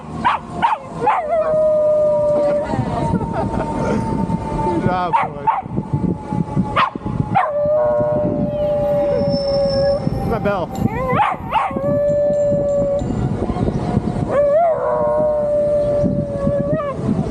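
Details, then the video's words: Pet dog howling while riding on a bike: long drawn tonal howls that slide slightly downward, repeated several times between sharper yelps, over steady vehicle rumble and a person talking. "Cute furkid making howling sound while riding on bike"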